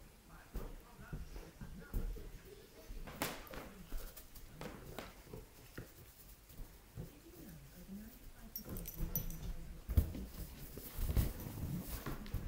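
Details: A Weimaraner x German Shorthaired Pointer puppy playing with a balloon gives soft, wavering whines amid scuffling and rubbery squeaks.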